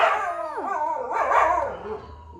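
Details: Puppy making a sliding, wavering howl that dips and rises in pitch before fading, with a person speaking around it.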